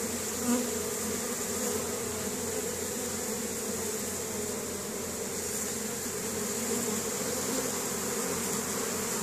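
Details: Spring foraging honey bees in Caribou, Nova Scotia, Canada, 10 May 2015, returning with pollen for the queen and brood; a thick, constant buzzing drone with one faint short squeak early on.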